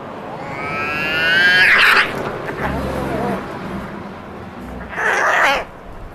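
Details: Cats fighting: a long wavering, rising-then-falling yowl swells to a loud peak, then fades into murmuring. After a pause comes a sharp, breathy hiss burst.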